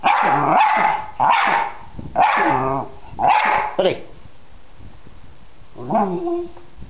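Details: Freddy, a dog, barks at a butterfly in a yard by a workshop: four loud barks about one per second, then a pause and a brief whine-like call at the end.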